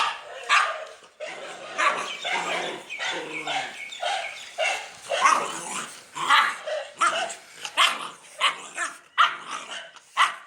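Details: A dog barking continuously: rough, noisy barks and sharper yips repeated roughly twice a second with uneven rhythm, each short and harsh, with no other clear sounds.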